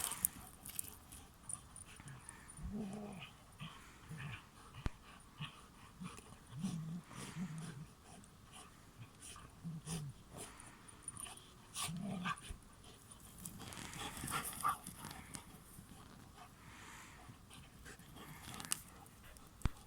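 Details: Pet dog Sif with her best friend Springer, two dogs together; low, rumbling growls and grumbling snorts come in short bursts throughout, with a few louder huffs near the end against a quiet indoor background.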